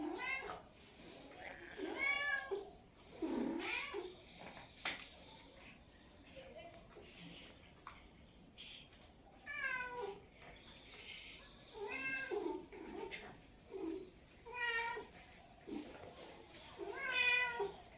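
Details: House cat meowing repeatedly over eighteen seconds: about nine plaintive, bending meows, some harsh and drawn out like caterwauling, separated by short pauses.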